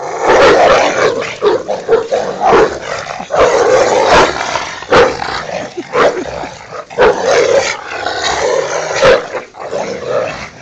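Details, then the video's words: Two pet Rottweilers playing and fighting over a toy in a back yard; continuous rough, noisy growling with snarling bursts, scuffling throughout. "my hounds fighting over there toy"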